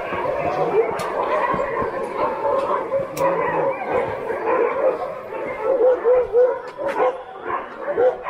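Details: Many Alaskan Husky sled dogs tied up in the dog yard at Snowhook Adventures in Willow, Alaska, greeting visitors with a noisy chorus of short yips, whines and barks, with people talking throughout.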